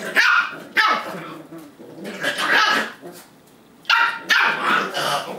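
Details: Playful high-pitched barks from eight-week-old Lab and Aussie Cattle Dog foster puppies play fighting and pouncing on siblings; bursts of yapping come in pairs, pause for about a second, then resume, with a strong, clear tone.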